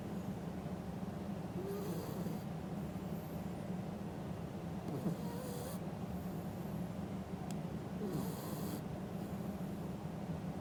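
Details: Male Shiba Inu snoring while sound asleep, recorded 14 November 2021: soft hissing snores roughly every three seconds over a steady low background hum.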